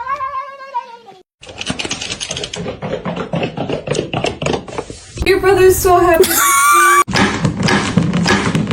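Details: A cat meows, a drawn-out arched cry at the start, then rustling and human talk take over before shorter, wavering mewing sounds rise through the clatter later on.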